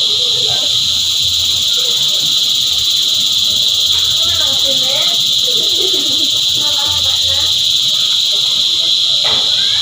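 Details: Many cicadas drone continuously in a shrill, even buzz at several high pitches, while faint wavering calls or distant voices drift underneath in the middle range.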